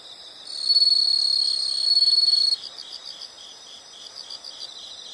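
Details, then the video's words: Nature sound recording of insects: a loud high continuous trill lasts about two seconds and stops abruptly, leaving quieter rhythmic pulsed chirping from other insects. "the sound of insects"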